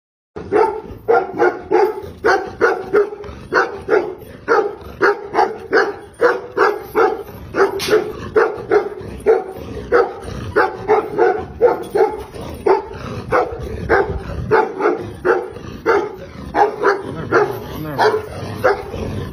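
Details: Purebred aboriginal female Tibetan Mastiff barking steadily: deep, resonant woofs in rapid runs, roughly two or three per second, pausing only briefly, throughout.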